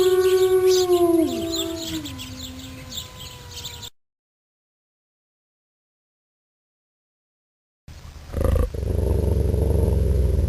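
Wolves howl together in long, drawn-out tones that slide downward, overlapping in a short chorus.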